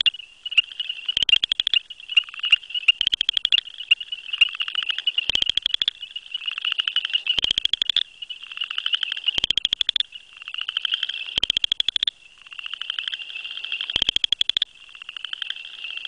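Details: Southern chorus frog, a calling male hidden in grasses near a possible satellite male or female; rapid pulsed trills of about half a second, repeated every couple of seconds over a dense, continuous chorus of other frogs.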